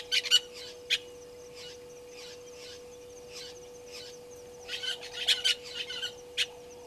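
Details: Live waterhole camera at Gowrie dam, Djuma, Sabi Sand Wildtuin, South Africa, catching African painted dogs at 17:49 on 04/03/2022. Shrill, bird-like twitters open the recording, softer chirps follow, then a busier cluster of squeaks near the end over a faint hum.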